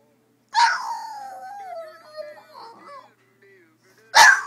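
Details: A pet dog, apparently trying to sing along to the Robin Hood theme song, gives a drawn-out, wavering howl that slides slowly downward for about two and a half seconds, then a single sharp bark, with faint music behind.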